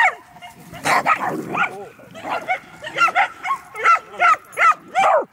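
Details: A running Medium Poodle makes shrill, tonal yelping calls that bend downward. They come in an even series of about seven near the end, after a burst of mixed barking and voice.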